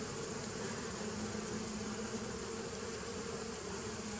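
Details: Bees on 27 September 2018 produce a constant, layered buzz, a low hum with a brighter midrange whine running through, steady and unchanging.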